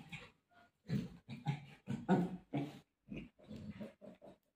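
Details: Pet golden retriever playing with mom, seemingly eager to search for her. It produces a quick series of short, throaty, grunting grumbles, fairly soft and closely spaced, ending in lighter clipped sounds.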